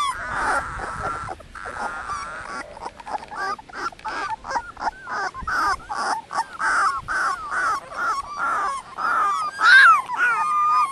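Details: Litter of 18-day-old Dogo Canario puppies: a chorus of high, squeaky whimpers and yips around the same pitch, several pups overlapping in rapid irregular bursts, some wavering and rising cries.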